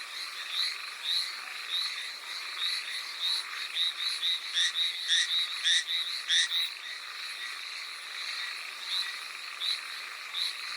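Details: Hallowell's tree frog calling in the rain on Amami Oshima, Japan: a chorus of short, high, bright notes repeated almost twice a second, rising into a faster run of loud clipped pulses midway, over a steady hiss of rain.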